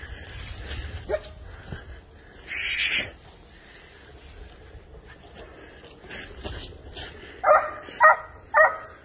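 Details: Spanish hound tracking wild boar: after a stretch of rustling, footsteps and a few faint sounds, three loud, rough barks come in quick succession near the end.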